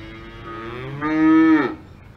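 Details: On a farm in the Alps a cow gives one close, loud moo. It starts soft and nasal, then swells into a strong, steady low bellow that breaks off abruptly, leaving quiet surroundings.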